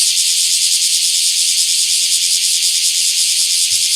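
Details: Bear cicada in a small park, 24 July 2026, delivering a continuous, intense high-pitched buzzing drone with a slight rapid flutter, unbroken for the whole stretch.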